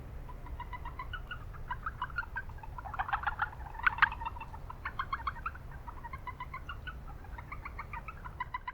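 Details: Japanese brown frogs in an urban wetland give scattered bursts of rapid pulsed notes from several callers. The bursts crowd together around the middle of the recording, over a constant low rumble of town noise.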